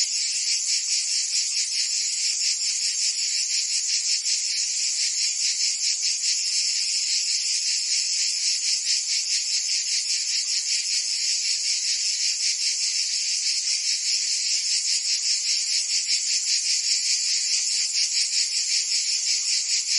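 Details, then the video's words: Provençal cicadas in summer, France: a loud, even, high buzzing wall of sound pulsing about two and a half times per second for the full twenty seconds, no birds or voices. "Cicadas singing in France (Provence)"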